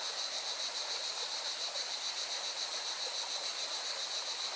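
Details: Singing cicadas beside a mountain river in Valencia, Spain: a continuous, high, buzzy drone with fast, even pulsing, laid over the steady broad rush of flowing water.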